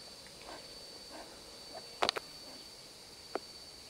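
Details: Pine marten in the Algonquin Park area, resting in the crook of a tree on a morning walk, barking at a person nearby: a few short, harsh bursts, two close together, then one more, over a quiet woodland background with a steady high hum.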